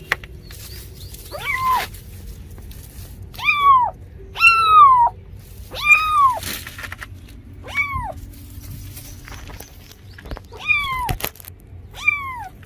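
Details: Kitten or cat giving a series of short, descending meows, about eight calls over twelve seconds at uneven intervals, each sliding down in pitch, over a low steady hum.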